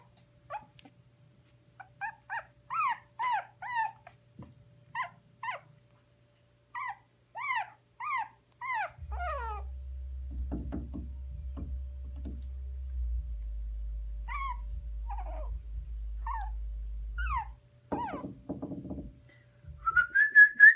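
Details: Teddy bear type puppy, one of five, giving a run of high whining yelps, each a quick rising-falling wail with clear overtones, then quieter whimpers over a low rumbling background, a final thin whine at the end.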